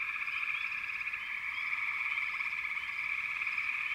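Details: Constant frog chorus at backwater, rapid trilled notes merging into one steady drone with a few quick rising chirps above.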